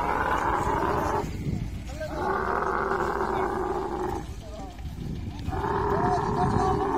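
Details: Camel in mating, making a continuous bubbling, rattling roar in long drawn-out bouts separated by short pauses, the throaty pulses coming in quick succession.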